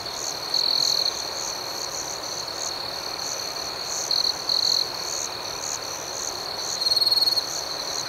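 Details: Crickets in the night give an unbroken high, ringing chorus, with several louder trills rising above it near the start, the middle and the end.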